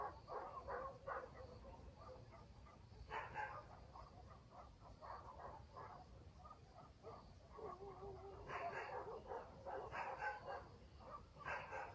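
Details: Night in a country village with several dogs barking, a rapid run of short barks, some louder clustered barks near the end, answered by more distant dogs against a low background hum.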